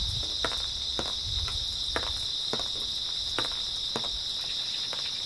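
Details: Early autumn night grass insects keep up an even, high, ringing drone, with a handful of separate sharp cracks and a low rustle near the start.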